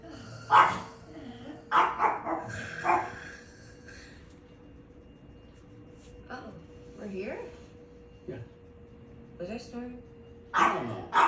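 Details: Chihuahua whose favourite pastime is barking, letting out sharp, short barks at irregular intervals, a few loud yaps spread across the stretch with quiet gaps, mixed with people talking and a steady low hum indoors.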